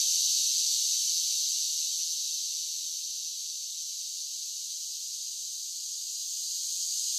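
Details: Summer chorus of cicadas: a continuous shrill buzz that eases slightly in loudness midway, then swells again. Nothing else is audible.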